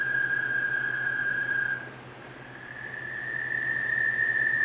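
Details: An American toad by a stream at night in June gives its long, steady, high musical trill, a mating call.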